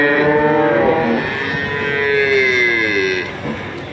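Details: Male calves at a cattle market in Grabag, Magelang, one drawn-out moo lasting about three seconds, a tonal call that slides slightly downward and then fades, with murmuring voices and market noise behind it.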